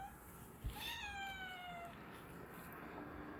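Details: Domestic cat, 2.5-year-old Nala, investigating strange noises: one drawn-out, clear meow lasting about a second, starting high and sliding steadily downward, over a quiet indoor hiss with no other sounds.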